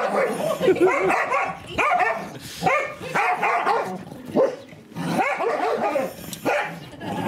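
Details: Daisy, a female English Springer Spaniel, pesters her son and daughter to play, letting out bursts of high, yelping barks in clusters with brief pauses, with people chatting and laughing nearby.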